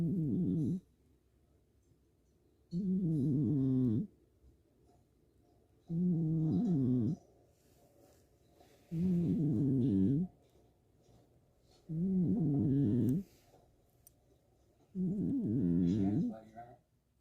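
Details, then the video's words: Cat snoring while asleep: low, rattling snores of about one second each, repeated regularly every three seconds or so with quiet gaps between, six snores in all, a faint hum underneath. "고양이의 코골이"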